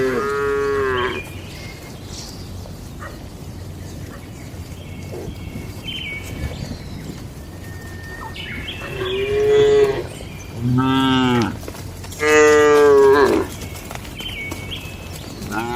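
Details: Docile cattle inside a farm shed on a calm daily routine; a moo at the start, then three loud moos in quick succession toward the end, with faint bird chirps and barn background noise.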